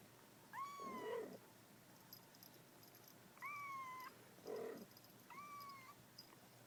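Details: Young mother cat holding her 35-day-old kittens at home: three drawn-out, high, slightly rising kitten mews, each about half a second long, alternating with two lower, wavering, nasal calls, over a steady low room hiss.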